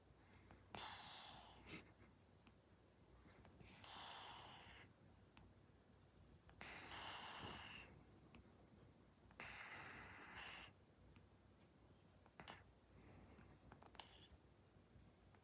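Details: Sleeping Persian cat snoring: soft, hissy, rasping breaths about every three seconds, each lasting roughly a second, in a quiet room, the last few breaths fainter and shorter.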